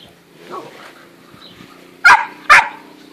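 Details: Eight-and-a-half-week-old Great Dane puppies from a litter of five, June 2014: a faint murmur and low hum, then two loud, sharp yips about half a second apart.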